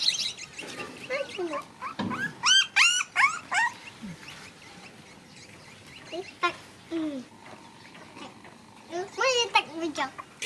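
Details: Puppies at play give a busy run of high, arched yelps and squeals in quick bursts, with quieter gaps between clusters of calls.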